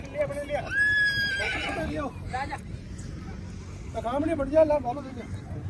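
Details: Horse at the 2023 Pushkar fair horse market in India, where Nukra mares are sold. Two wavering, quavering whinnies rise over crowd chatter and background noise, one near the start and another after a short pause.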